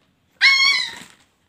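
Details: Pet puppy indoors making a cat-like vocalization: one high, harmonic-rich whine about 0.8 seconds long, steady then slightly falling, with nothing else audible.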